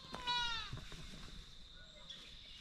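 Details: Baby white-tailed deer fawn bleating in the woods, barely able to stand: one clear high, harmonic-rich bleat falling slightly in pitch, lasting about half a second, over a steady high insect drone and soft rustling.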